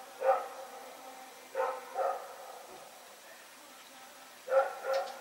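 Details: Rex the dog barks while running around in the night, 21 September 2018: a single bark, a quick pair, a quiet gap of two seconds, then another close pair of barks.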